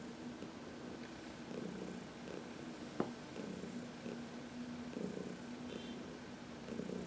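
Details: Senior cat Heidi purring as she is massaged in the sun, March 19, 2021; low, steady rumble rising and falling with her breathing, with one sharp click midway.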